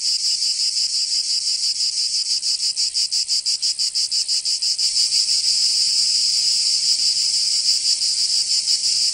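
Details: Cicadas in Provence, southern France, in summer: a high buzzing song pulsing quickly for the first half, then merging into a smooth, unbroken whine for the rest.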